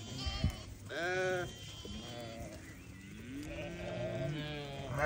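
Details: Newborn lamb gives a clear, wavering bleat, followed by softer, drawn-out quavering cries.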